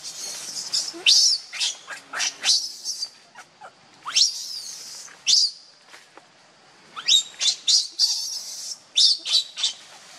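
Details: Hungry baby monkey Leo begging its mother for milk; piercing high squeals and steep downward-sweeping shrieks in clustered bursts, separated by short quiet gaps, repeated through the recording.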